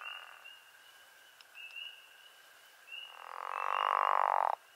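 A pickerel frog gives a loud, drawn-out snoring croak lasting over a second.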